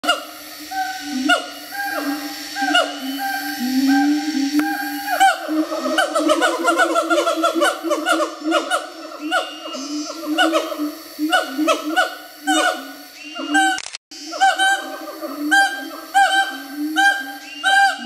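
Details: Wild siamangs in Bukit Barisan Selatan National Park, Sumatra, exchange counter calls: loud hooting notes with sharp upward swoops, speeding into a rapid run of barking whoops midway, then slower repeated swooping hoots again.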